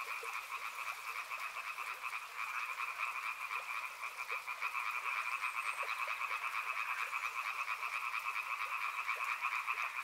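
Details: River frogs calling en masse: a thick rattling chorus of fast repeated croaks in two layered bands, quieter at first then building and holding steady, a faint water hiss throughout.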